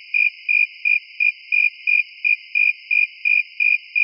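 A cricket chirps in a high, even pulse, repeating roughly three times a second without pause. A faint, constant high hum runs underneath the chirps.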